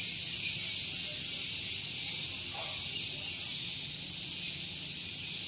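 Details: Cicadas in the morning at Gunung Geulis, Bogor, West Java: a steady, intensely shrill high-pitched buzz with gentle pulsing, one faint short sound partway through, and low background noise from a nearby car park.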